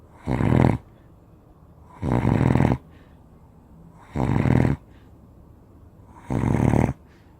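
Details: Spanish Mastiff, a giant breed, snoring in its sleep; four coarse, rattling snores roughly every two seconds, each lasting up to three-quarters of a second, low and throaty.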